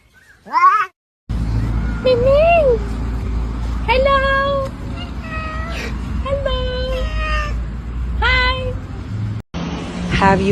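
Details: Cat meowing repeatedly over a steady low hum, with short rising-falling mewing calls coming every second or so; a sharp squeal at the start and a burst of noise near the end.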